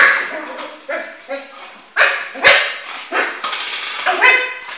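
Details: Four-month-old Shih Tzu puppy chasing his ball around the house until tired; short high yips and barks in uneven bursts, with some indoor bumps and a voice.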